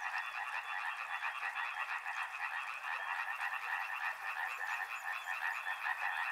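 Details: Frogs by a river calling in a dense chorus, many overlapping rapid croaking pulses merging into a steady rattling mid-pitched drone with no pauses throughout.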